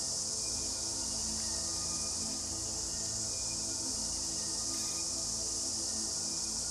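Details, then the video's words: Cicadas at the start of the cicada season, heard everywhere from trees along a river, several species large and small; a dense, steady, high-pitched hissing drone runs unbroken throughout, with faint low tonal sounds beneath. "Wir sind gerade am Beginn der Zikadensaison, und wir hören sie überall."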